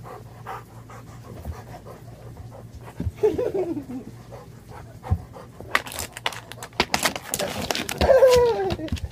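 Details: Labrador Retriever puppy named Rocky, indoors in a small room, panting in quick irregular breaths, with short whimpering whines and bursts of clattering noise, a person's voice giving commands nearby.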